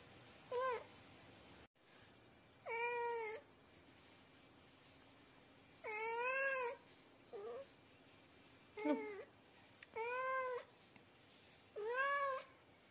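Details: Repeated meowing from a cat: about seven rising-and-falling, well-spaced calls, a few short and a few longer and stronger, with quiet low hiss between them.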